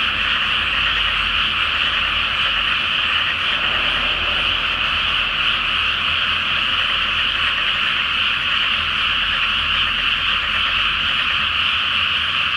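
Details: Frogs in a great night chorus in a flooded rice paddy before rice planting, under a full Flower Moon; a dense, unbroken wall of croaking rattles steadily throughout.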